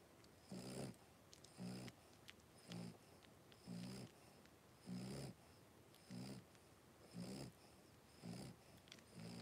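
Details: A blenheim Cavalier King Charles Spaniel puppy, one of five three-week-old littermates in an indoor pen, gives loud, low snorting breaths, evenly spaced about a second apart, each a short rasping burst over a quiet room background.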